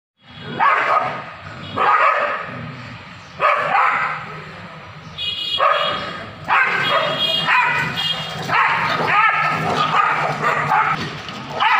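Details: Street dogs fighting in Kolkata in 2023: harsh, noisy bursts of barking and snarling come in loud surges about every one to two seconds, then run together into a near-continuous scuffle. A rumbling, busy street background sits underneath.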